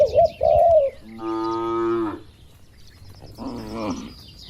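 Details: Cattle eating in a calm barn give two moos, one steady and full-toned, one shorter and softer, after a brief high warbling bird call at the start.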